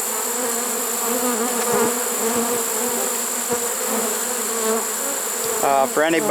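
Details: Honey bees of a swarm caught in a trap on September 1, 2019, late in the season, humming in a constant massed buzz; a human voice cuts in briefly at the end.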